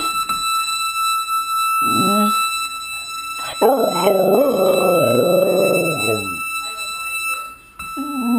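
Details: A seven-year-old Jack Russell and Rat Terrier mix "singing" along to "Barbara Ann" with a person; short yelps, then a long wavering howl with shifting pitch lasting over two seconds, over a steady electronic whine.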